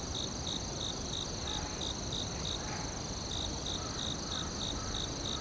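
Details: Rapid high cricket chirps in a forest, about three per second, pausing briefly midway before resuming, over a constant shrill tone and rumbling low noise.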